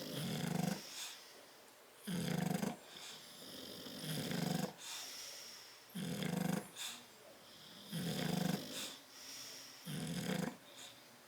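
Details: Bulldogs Tyson and Tyra asleep in their crate on 10/30/12 give steady, rasping snores, a low rattling inhale followed by a breathy hiss, repeating about every two seconds in a quiet small room.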